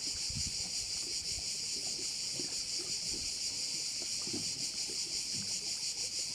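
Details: A bay on the island of Korčula, Croatia, rings with a dense, high-pitched cricket chorus, continuous and shimmering with slight rhythmic pulsing. Faint low thumps and a light breeze sit beneath it.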